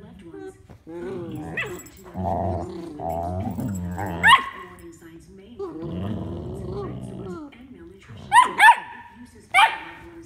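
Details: A female Golden Retriever puppy shows off her little barks to her brother: short, sharp, high yips between stretches of low grumbling growls.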